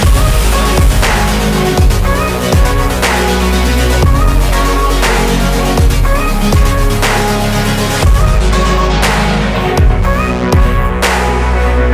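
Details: Loud electronic dance music with heavy bass and pounding beats plays throughout, with no animal sounds.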